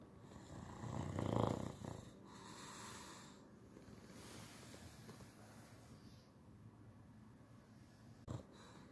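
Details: An English Bulldog, a regular snorer, snores with a deep, rumbling rasp that swells loudly and then fades.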